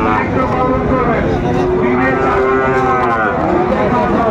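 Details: Sahiwal cattle at a busy cattle market in Chittagong, Bangladesh, on 19 December 2024, where a farmer buys a Sahiwal bull calf; a drawn-out, steady low moo swells midway, heard over constant crowd chatter and market din.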